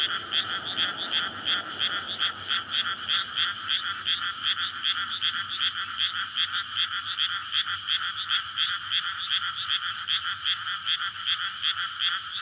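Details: Night-time frog chorus in a water-filled paddy in May ahead of rice planting, calling in courtship before egg-laying; loud continuous mass of rapid rattling croaks, steady pulses throughout, with some low traffic hum early on.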